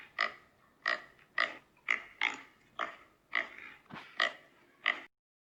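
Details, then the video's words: Shrill, grating pig squeals repeated about every half second, nine sharp bursts in all, then silence to the end. "Som de Porco - Grito de Porco"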